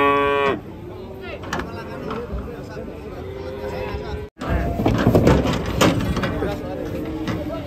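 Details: An agitated sacrificial cow being brought down from a truck gives a strained, harmonic-rich bellow, then lower sustained lowing under excited shouting and clattering.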